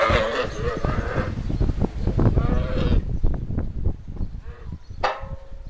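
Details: Camels at the Cyprus Camel Park, fighting or possibly trying to mate: dense, throaty low rumbling and gurgling for about three seconds with harsher tonal moans above, then quieter pulsing grunts and a short sharp burst near the end.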